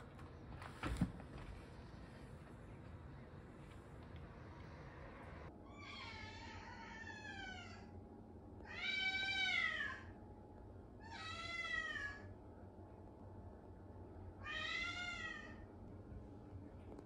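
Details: A lonely Ragamuffin cat that follows its owner into the bath gives four drawn-out meows, each rich in harmonics and arching slightly, spaced a few seconds apart after a sharp knock near the start, with a low hum behind.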